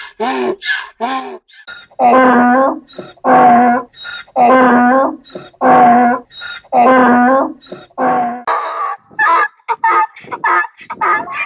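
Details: Donkey bray, with a run of strong, evenly spaced rasping heaves about one second apart. Scattered shorter, fainter bursts lead into it and trail off after.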